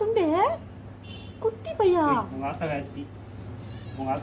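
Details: Very small kitten indoors at home mewing: a high rising-then-falling meow, then a longer wavering meow with a short one after, amid a woman's affectionate chatter and a low steady hum.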